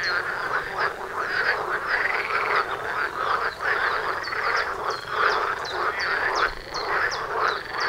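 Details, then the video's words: Dense frog concert at a house, many voices croaking and rattling continuously, with bright rising chirps popping out repeatedly, especially in the second half. "Froschkonzert vor der Haustüre"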